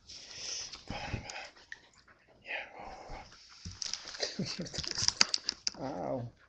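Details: Border Collie puppy named Callie during play: whiny, harmonic whimpers and short, noisy, growl-like bursts come in uneven spurts, ending in a wavering whine, while a person keeps saying "oh yeah" in between.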